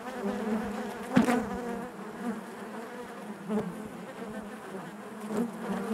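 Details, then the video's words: A colony of honey bees droning in their hive, steady and low, broken by a sharp, bright rasp just after one second and softer passing buzzes later as bees move near. "bees therapy hive natural buzzing sound"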